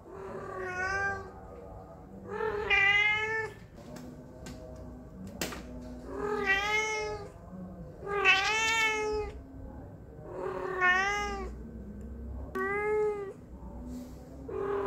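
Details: Pet cat, said to meow constantly whenever humans are near, gives repeated clear meows roughly every two seconds indoors, each a bright arched wail rich in harmonics, with a sharp click near the middle and steady low hum beneath.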